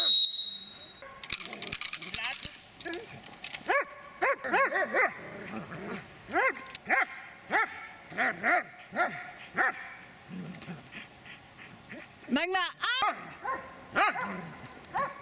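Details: An 8-year-6-month-old Dobermann barks in a steady run of loud, harsh, rough-edged woofs during attack work, with a man's voice giving French commands to attack.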